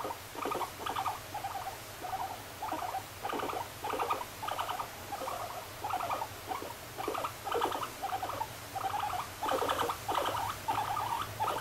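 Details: Moru-chan, a pet guinea pig, chutters steadily: buzzy pulsed bursts of under a second, about a hundred to the minute, over a low room hum.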